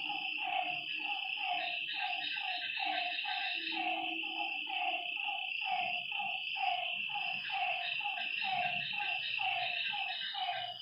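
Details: Nighttime frog chorus at a lake: many overlapping short, downward-sliding notes pulse rapidly, layered with a constant high-pitched insect buzz, plus a brief lower tone around four seconds.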